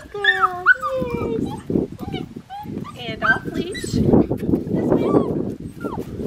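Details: Young Australian Shepherd, a black tri female, with a burst of squeaky sliding whines and yelps early on, then fewer, thinner whines over muffled people's voices and handling noise.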